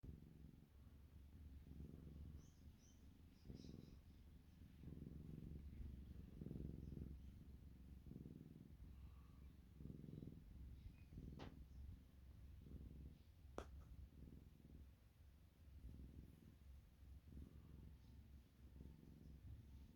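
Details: Siamese kitten purring, a low continuous rumbling throb in rhythmic swells, with a couple of faint clicks partway through.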